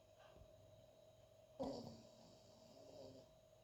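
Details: Loud snoring from a sleeping dog, with a sudden snorting breath midway, then a softer rumbling exhale, over a constant room hum.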